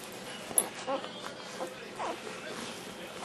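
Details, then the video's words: Black tri Australian Shepherd puppy, born 11/13/08, singing while eating dinner: a few soft, whiny, rising yips and whimpers spread over a few seconds indoors, with a sharp click and faint human talk behind. "puppy sings for dinner"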